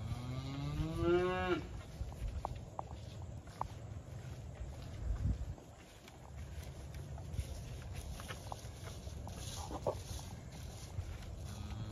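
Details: Highland cattle calves in a calf corral on a farm, fed there after weaning for socialization: one loud rising moo with rich harmonics in the first two seconds, then quieter ambient noise, scattered clicks and a faint low grunt.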